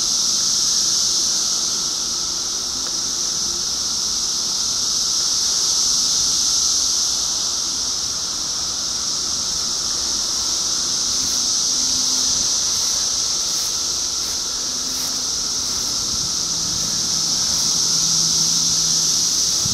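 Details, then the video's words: Many cicadas in 2013 fill the air with a ceaseless high whining buzz that rises and falls slowly in strength, punctuated by faint low hums in the background. "2013 Cicadas"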